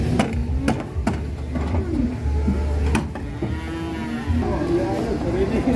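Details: Raging cattle being put onto a truck: a short bellow followed by a longer moo toward the second half, among repeated sharp knocks and a low motor hum.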